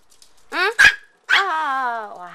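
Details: AKC micro teacup poodle, a pet dog from Alabama living in Hong Kong, lets out a quick pair of shrill yaps, then a drawn-out, wavering, slowly falling high whine lasting about a second.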